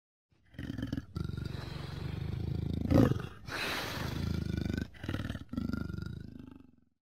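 Leopard roar: deep, rough, throaty growling in four long rasping bursts over about six seconds, each broken by a short pause. No other sounds stand out.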